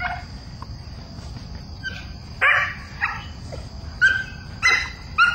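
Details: Mina, a young female Belgian Malinois, chasing and barking at the bad guy for the first time in bite-work training, her bark still friendly; five sharp, ringing barks at uneven gaps over the second half, a steady high insect-like whine behind.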